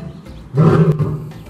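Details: A 15-year-old male African lion at Potter Park Zoo's historic Lion House gives a brief, deep, throaty roar over faint background music. He is known for showing off his roar. Filmed April 30, 2022.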